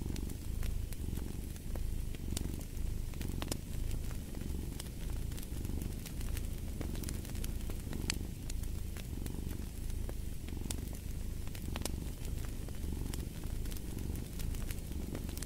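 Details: Steady rumbling cat purr with regular breath-by-breath swells about every second, accompanied throughout by the scattered crackling and popping of a fireplace.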